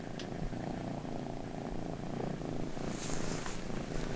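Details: Miru, a small British Shorthair cat, snores while asleep indoors: a steady low rumbling breath with soft rhythmic texture, with a faint higher hiss late on.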